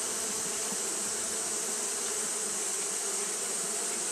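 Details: A colony of Japanese honey bees keeps up fanning behaviour in hot weather, producing a constant droning buzz with low humming tones under a steady high hiss, no pauses or changes.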